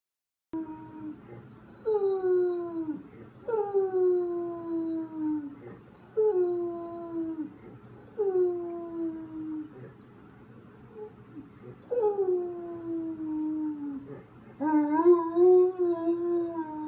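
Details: Pet dog howling indoors after its owner leaves for errands: a series of long mournful howls, each sliding downward with rich overtones, repeated roughly every two seconds with short pauses, the final one rising higher.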